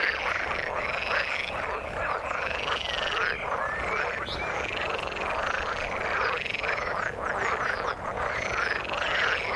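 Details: A chorus of frogs calling in water, many voices overlapping into a steady wall of croaking, with rhythmic arched call notes recurring roughly every second or two over a constant rough background.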